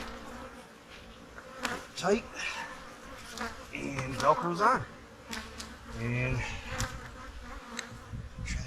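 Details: Honey bees around autumn hives being prepared for winter whine past close by, their buzzing rising and falling in pitch as each flies near and away over a soft background hum.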